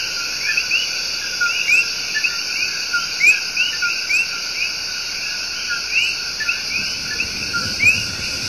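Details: Tiny but loud coqui tree frogs deliver their love song in Puerto Rico's El Yunque Rainforest. Quick upward-slurred chirps come in overlapping bursts above a persistent high-pitched insect background, with a low rumble near the end.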